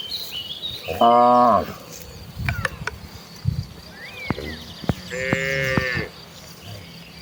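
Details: Herd of tame cattle walking to the fields to feed, giving two short lowing moos several seconds apart, amid bird whistles, clicks and rural background noise.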